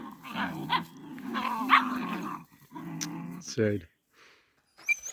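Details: A mother dog guards her puppy against attacking dogs in a village: sustained, throaty growling with snapping yelps, a human voice exclaiming alongside, then a short rasping bark before quiet.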